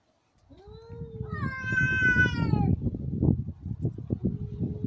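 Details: Cat fight: a rising whine leads into a loud, bright, arching yowl, followed by continuous low scuffling, thumping and a faint drawn-out moan.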